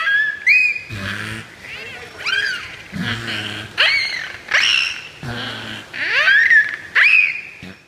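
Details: A beluga whale at Shedd Aquarium vocalizes during a training session, giving rising whistles and squeals mixed with low, buzzy pulsed bursts.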